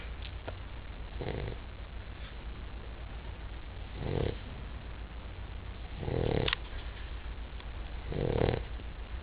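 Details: A Basset Hound snores in slow, rumbling breaths about every two seconds.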